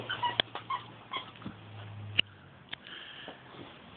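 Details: Banjo, a Beagle, plays with and chews on a giant squirrel house: faint short whimpering tones early on, then sniffing and sharp clicking taps over a steady low hum, with no speech.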